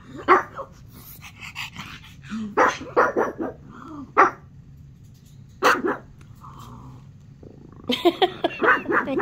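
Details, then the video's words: Dog named Norman barking at a Netflix show on TV, firing off clustered bursts of short barks with pauses, some rougher and growly, ending in a rapid flurry; low room hum throughout. "Norman barking at Netflix"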